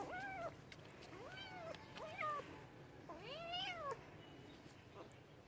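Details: Domestic cat giving four meows in quick succession, each a bright, arched cry rising and falling, the last one longer and more plaintive, against a quiet room background.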